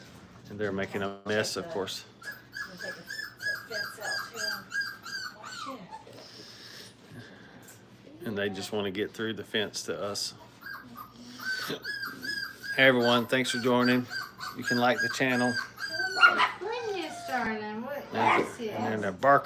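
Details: Five-week-old Brittany puppies in a kennel during crate training give high, wavering whines and whimpers in overlapping bursts, some sliding up and down, with louder clustered yelps near the end.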